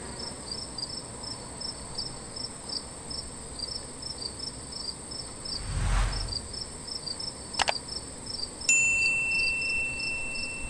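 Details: Meadow katydid. A thin, high-pitched insect buzz runs throughout, laced with soft ticking pulses about three times a second. A passing rumble, a sharp click and a bright chime-like ding break in partway through.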